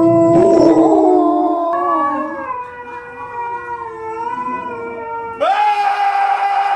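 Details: Dogs howling at a TV screen: long, sustained, wavering tonal howls with rich harmonics, pitch sliding gently up and down, then a sudden brighter, higher howl near the end; overlapping voices suggest more than one animal.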